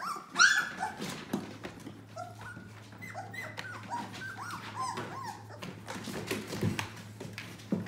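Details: Yellow Labrador Retriever puppies, seven in the litter, 18 days old, indoors; several high squeaky whimpers with rising and falling arcs, one loud cry near the start, over a steady low hum and soft rustling.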